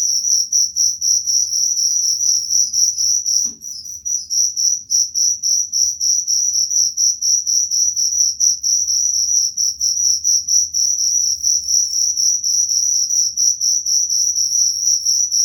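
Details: Cricket giving a steady, piercing, rapidly pulsed trill that runs without pause, interrupted only by a single soft knock early on, over a faint low hum.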